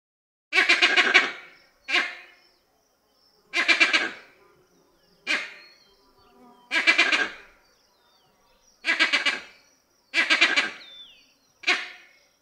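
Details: Vervet monkey giving loud, reverberant calls: eight harsh, harmonic barking bursts, each about half a second long, spaced one to two seconds apart, with faint echoing tails between them and no other sounds.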